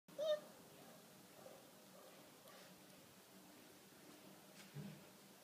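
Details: A German Wirehaired Pointer (Deutsch Drahthaar) puppy at a Romanian hunting-dog kennel gives one short, high whine near the start, then a quiet room with a soft thump near the end.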